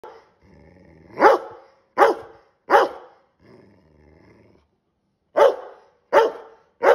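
A Rottweiler gives short, harsh, bark-like grumbles between quieter low rumbling growls.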